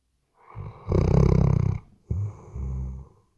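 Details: Deep rattling snore from a sleeping Weimaraner, RODE NTG3B microphone: one long, fluttering inhale lasting about a second, then a shorter two-part rumbling breath right after.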